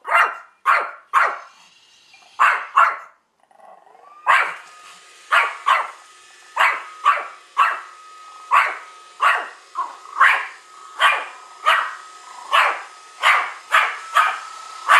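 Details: One-year-old Pomeranian indoors, hostile toward a newly arrived Roomba, barking in sharp repeated bursts, about one bark every half second with a short pause, over a steady mechanical hum from the robot vacuum.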